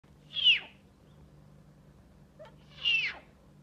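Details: A male snow leopard cub finding his voice gives two high, thin mews, each sliding down in pitch, about two seconds apart.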